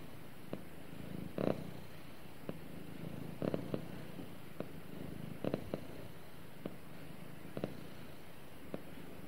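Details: Pet cat purring while snuggling with its owner: a steady low rumble that swells in brighter rasping pulses roughly once a second, the strongest near the start and middle, with no other clear sounds.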